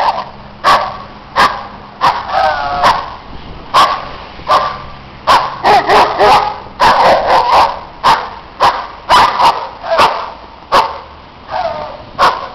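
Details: Neighbours' dogs barking loudly while other dogs play in the snow; sharp barks repeated roughly every second, some with tonal yelping whines between them, in a continuous noisy run.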